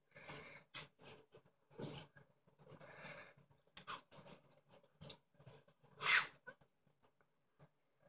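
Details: American Bully puppy, a small female, producing rapid snorts and snuffles indoors, irregular short bursts of breathy noise with one louder sneeze-like huff.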